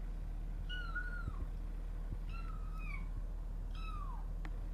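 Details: Domestic cats on the first day a resident cat meets a new kitten indoors, the pair threatening each other: three drawn-out, high tonal meows, each gliding downward at the end, over a steady low hum.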